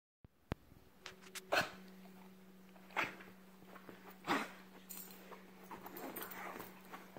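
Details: Stanley, a beagle just back home from the groomer and happy to be there, gives three short, sharp, noisy bursts roughly one and a half seconds apart, with a steady low hum throughout.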